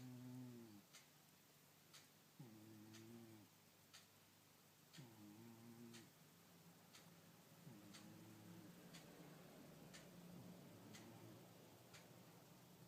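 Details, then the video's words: Sky the cat snoring indoors in a small room, low rumbling harmonic snores rising and fading roughly every two and a half seconds, with faint regular ticking in the background. "SKY - The Snoring Cat"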